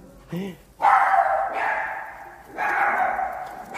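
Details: Pet Shih Tzu barking in two long, harsh bursts about a second and a half apart, after a short spoken word from a woman at the start.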